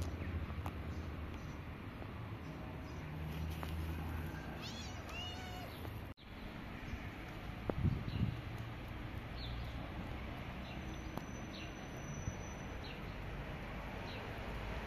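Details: Friendly pair of stray cats, a gray kitten and a white cat; a fainter wavering meow about five seconds in, then only low steady rumble and scattered knocks.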